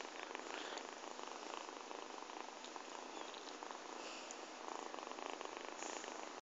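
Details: Pet cat kneading with its claws while resting on someone, purring in a steady, quiet, rough rumble with a faint pulsing texture that stops abruptly at the end.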